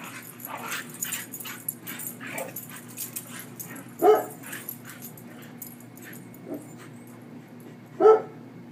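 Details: A German Shorthaired Pointer playing with another dog in a yard gives short, throaty barks and whines at uneven intervals.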